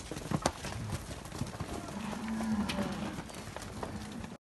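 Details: Nelore calves on a farm in Amaralina, Goiás, Brazil, one giving a steady low drawn-out moo lasting about two seconds, amid clicks, knocks and general farmyard noise.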